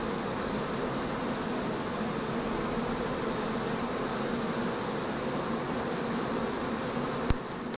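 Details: Many honey bees flying to forage on 4 May 2013, in dry conditions with cool nights at the start of the main nectar flow; an even, unbroken low hum of wings, a single sharp click near the end.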